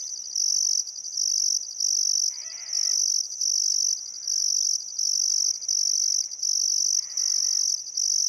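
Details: Crickets chirping at sunset beside the Barcoo River in Welford National Park, Outback Queensland, on a still summer afternoon: a loud high buzzing trill in bursts of about half a second, with short gaps. Brief harsh bird calls twice in the background.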